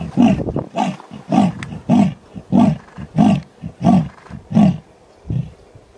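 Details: A female leopard in the Masai Mara, Kenya, gives a deep, rasping, sawing roar of rhythmic grunts to attract a male.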